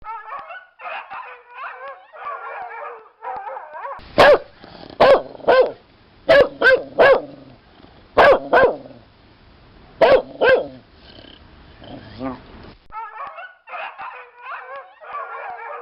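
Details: Dog giving wavering, yipping howl-like calls at the start and end, with a burst of loud, sharp barks in the middle, several in quick pairs.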